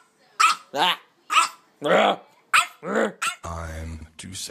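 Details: A three-month-old tricolour purebred French Bulldog puppy yaps during a barking argument with its owner, giving sharp, high barks and a few rougher, drawn-out growly ones, with a person's voice and background music toward the end.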